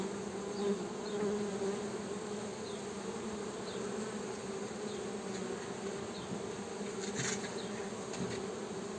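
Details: Honey bees droning in an even, sustained buzz, its low tone and overtone steady throughout, with a short burst of higher rustling noise late in the recording.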